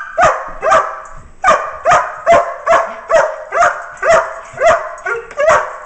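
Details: Male working dog shut in his crate after playtime, calling to be let out to play again: a steady run of about thirteen high, sharp yips, roughly two per second, each with a short whining tail.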